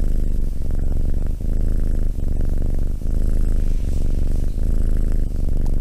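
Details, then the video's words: Close purring of a cat, low throbbing vibration pulsing in a steady cycle, with a few brief breaks as the animal breathes. "Cat purring"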